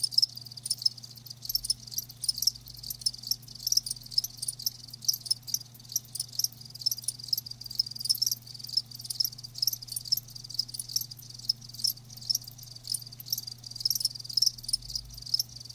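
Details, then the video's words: Live crickets in a dense, continuous high chirping chorus, rapid pulses repeating without pause over about sixteen seconds, a faint low hum beneath. "Live Crickets 60min "Natural Sound""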